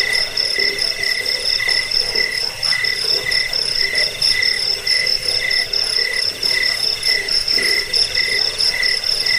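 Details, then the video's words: Crickets whose chirping is used to chase off rats, bring sleep and train cage birds; several callers overlap in a constant high trill, with lower pulsed chirps arriving in irregular bursts about every second. "Suara jangkik pengusir tikus pengantar tidur"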